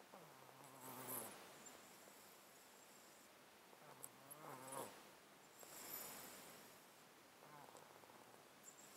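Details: Sleeping house cat in a box with a chronic illness that leaves it congested, recorded close up: wheezy, snuffling breaths with brief nasal, whistling tones, roughly every two to three seconds.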